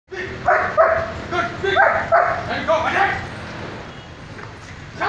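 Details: German Shepherd in military squad training, barking on the command to speak: a run of sharp mid-pitched barks, about three a second, fading toward the end with voices nearby.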